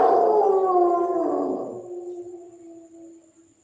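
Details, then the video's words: Single German Shepherd howl, tonal and layered with harmonics, gliding gradually lower and fading away over roughly three and a half seconds. "UIVO PASTOR ALEMÃO"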